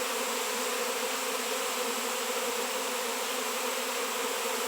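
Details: Honey bees swarming onto a raw 7 lb shungite rock in an area without bees for years, producing a thick continuous buzz of many wings, even and unwavering, with no other sounds.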